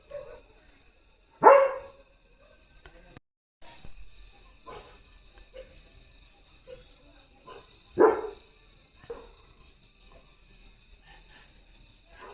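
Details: German Shepherd named Leo barking fiercely in guard mode at a herd of sheep passing in front of the gate; two loud, harsh single barks about six seconds apart, with faint soft noises between and a steady high electrical hum.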